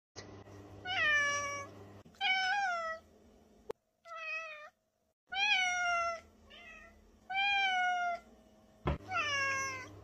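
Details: Russian Blue cat meowing repeatedly indoors. A series of clear, tonal meows about a second long, several falling in pitch and a few short chirpy ones, separated by brief silences.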